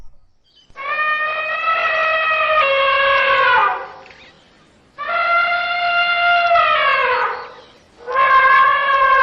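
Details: Trained working kumki elephant trumpets in long, steady, brassy blasts of about three seconds each, the pitch sliding down at the end of each blast, with short silent gaps between them.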